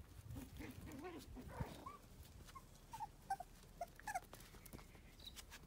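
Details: Cavoodle puppies at play give short, high whimpering squeaks, a few in quick succession near the middle, over a busy background of scuffling, rustling and clicking.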